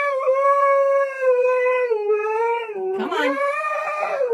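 A Siberian Husky throws a tantrum with a long, drawn-out howl that sags, then breaks and rises again.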